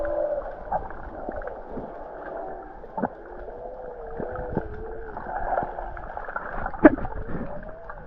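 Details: Humpback whales heard underwater by a swimmer close to them off North Stradbroke Island, Queensland, Australia, in July: wavering tonal moans that slide up and down in long curves over bubbling, gurgling water, with a sharp knock near the end.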